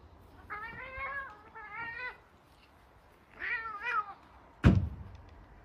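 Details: Domestic cats fighting at home, one named Apollo, produce two drawn-out wavering angry yowls, a short pause, then a third harsher yowl, ending with a sharp thump; a person scolds them nearby.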